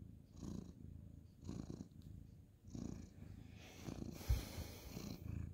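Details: Orange tabby tomcat purring as he is stroked at night on the bed; deep, low rumbling purr in slow waves, with a brief soft click and rustle of handling near the end.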